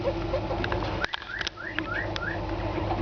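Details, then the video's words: Pet guinea pigs, kept together, wheeking because they expect food: a quick series of five short, rising whistled squeaks, roughly three per second, over a steady rustling background hiss. "Guinea-pigs making funny noises"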